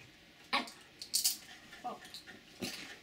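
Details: Two Jack Russell Terriers, one a senior dog, jumping and begging excitedly for potato chips; short, sharp yips come in four bursts across three seconds, about one every 0.7 seconds, with a woman's voice nearby.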